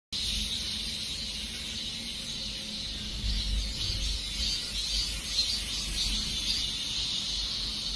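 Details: Cicadas at the end of summer; a dense, steady shrill hiss of many insects in two high bands, continuous throughout with low background rumble.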